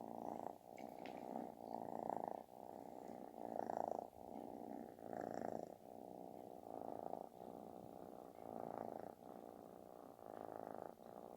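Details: Kitten seeking attention purrs with a booming, snore-like rumble, rhythmic swells about every one and a half seconds, each breath marked by a short pause between loud buzzy phases.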